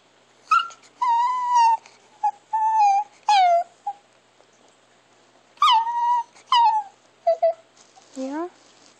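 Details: Chihuahua named Alexa making strange, weird sounds indoors: a string of high whining whimpers and yips, some held and wavering, others sliding downward, in bursts across the clip, ending with a lower, falling whine.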